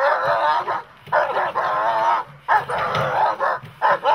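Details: Working dog in protection training, a German Shepherd or Malinois type, barking in dense, rough, drawn-out bursts. There are three long volleys and a short final one over about four seconds.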